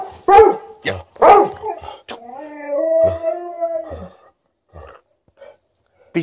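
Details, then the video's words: Elderly Golden Retriever, thirteen years old, demanding more petting with an Alaskan Malamute present: loud gruff barks and grunts open, then a steady, level howl held nearly two seconds before fading, followed by faint soft noises. "13-yo Golden Retriever vocally demands more petting"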